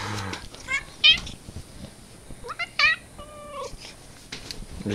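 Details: Domestic cat, described as funny and dangerous, recorded in May, meowing repeatedly: a few short, bright, wavering meows spaced about a second apart, the last one longer and falling, with soft human voices and rustling nearby.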